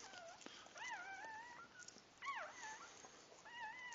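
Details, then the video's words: Whining cries from puppies being born: wavering, drawn-out whimpers that bend up and down in pitch, repeated roughly every second, over a quiet rustling background. "birth of my puppies"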